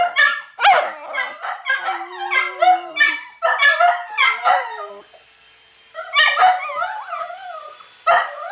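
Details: Italian Greyhounds yip and howl in high, wavering bursts, with a brief pause midway, while laundry is being done; these are their usual noises.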